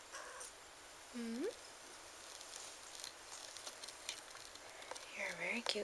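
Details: LuLu, an 8-month-old female chocolate lynx bicolor Ragdoll kitten from a breeder in the Kingston area, Ontario, Canada, gives one short meow that starts level and sweeps sharply upward. Soft rustling follows, then a woman talks quietly near the end.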